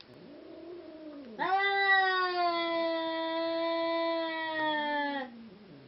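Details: Seal Point Siamese cat yowling while two cats are brought together to mate: a softer wavering wail first, then a loud drawn-out nasal cry sustained about four seconds, sagging slightly in pitch before stopping.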